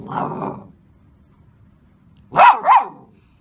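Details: A Golden Retriever puppy lets out a rough yelp, then after a pause two quick high barks that rise and fall in pitch, close together, in a quiet room.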